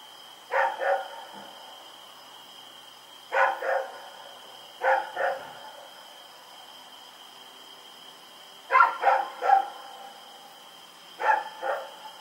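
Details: At night on October 7, 2018, Rex runs about barking: clusters of two or three sharp barks separated by pauses of one to three seconds, with a steady high electrical tone underneath.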